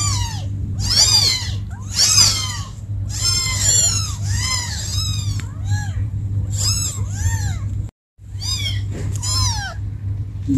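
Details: Kittens calling for mom give a dense chorus of rapid, overlapping high meows with rising and falling arcs, a brief silence near the eighth second, all over a constant low hum.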